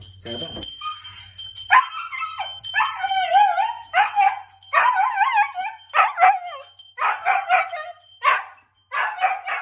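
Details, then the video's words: A Siberian Husky howls loudly in wavering, yodel-like bursts in response to a bell's high-intensity ring, with the bell's high ringing tone continuing behind. "Husky howling after hearing bell (very loud)"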